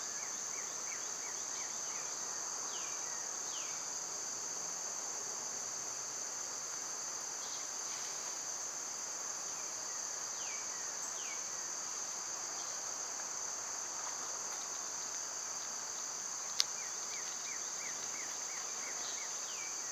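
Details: Cicadas in summer: a loud, steady, high-pitched drone runs unbroken through the whole stretch, while birds add short, repeated descending chirps in the background.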